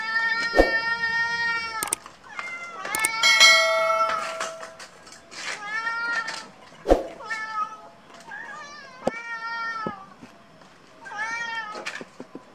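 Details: Domestic cat meowing over and over indoors, a string of drawn-out, rising-and-falling meows with a few sharp clanks and knocks between them.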